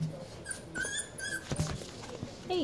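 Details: Four-week-old Goldendoodle puppies playing indoors, giving short high squeaky whimpers and yelps, with a brief rising-falling whine near the end, amid rustling and a woman's voice.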